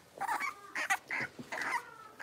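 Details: Litter of five blenheim Cavalier King Charles Spaniel puppies, six weeks old, kept in an indoor home puppy pen; short, squeaky, tonal yelps come in quick bursts, about five within two seconds.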